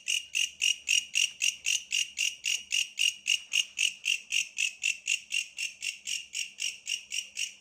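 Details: Bush cricket calling with rapid, evenly spaced buzzy chirps, roughly four per second, bright and high, over a quiet rural background.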